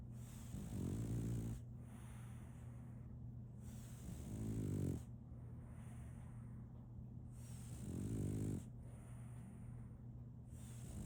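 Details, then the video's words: Solaimy the French Bulldog, a female puppy, sleeps and snores in a regular rhythm: three throaty, vibrating inhalations roughly every three and a half seconds, with softer exhales between and a constant hum behind. "RONQUIDO de un French Bulldog (SOLAIMY)"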